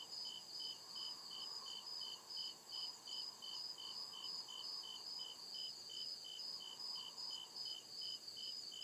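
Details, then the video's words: Deep-woods crickets at night producing rapid regular chirps, near two and a half per second, atop a persistent piercing buzz, with a quiet murmuring background rising and fading. "CRICKET CHIRPING SOUND"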